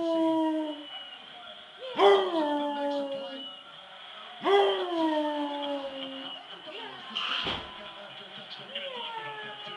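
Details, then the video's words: A Basset Hound, responding to someone meowing like a cat, gives long, mournful howls that start strong and slide downward, repeating every few seconds. "brunson the Basset hound"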